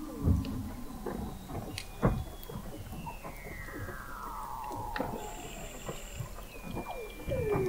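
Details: Weddell seals under the Antarctic sea ice of McMurdo Sound, November 2017, recorded 21 m deep: a long descending glissando whistle, faint high tones, low thuds and scattered clicks, ending in a rising chirp.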